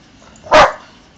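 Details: A single sharp, broadband bark from Bonny, an Old English Sheepdog doing tricks in a garden, loud and brief against a quiet background.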